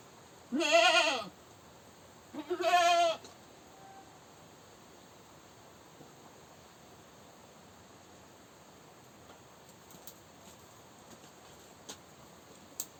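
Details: Goat screaming: two loud wavering bleats about two seconds apart early on, followed by quiet background with faint clicks and knocks.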